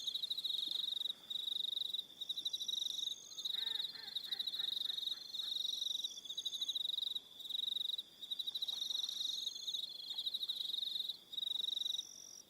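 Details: Crickets calling on an autumn-less evening at Aroha Island, New Zealand: a dense high pulsed trill held near one pitch, broken by brief pauses, with fainter higher tones layered above and a short lower chirping burst near four seconds.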